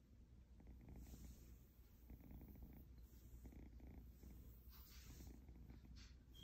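An Egyptian Mau kitten purrs, a low, steady rumble pulsing in soft, even breaths.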